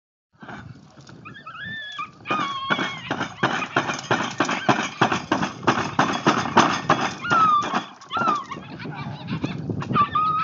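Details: A 10-week-old puppy, with high thin whistled whines sliding up and down, plus dense broadband scratching and rustling noise throughout.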